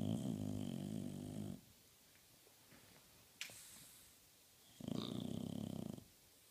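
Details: Sleeping bulldog sprawled on a couch indoors, giving deep rumbling snores: a rough low snore, a few seconds of quiet breathing with a faint click, then another harsh, fluttering snore.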